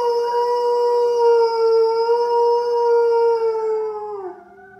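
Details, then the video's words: Pet dog howling in response to wolves heard on a television nature programme: a long, even, drawn-out tone held about four seconds before wavering and dropping away. "Uncontrollably howling with the Norwegian wolves on Animal Watch"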